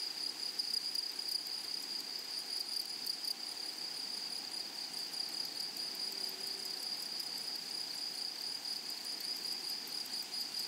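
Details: In a flowering prairie meadow, grasshoppers sing a continuous, sharp high-pitched whine, with a pulsed, rattling overtone. The chorus stays level throughout, with a brief faint low tone midway.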